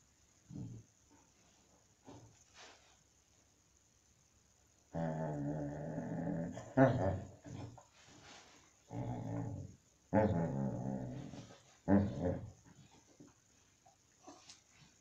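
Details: Two dogs at play, Digby the Great Dane and Ralph the Basset, indoors: drawn-out, rough, harmonic growling vocalizations in several bursts of one to two seconds, with quieter snuffles and short sounds in the gaps between them.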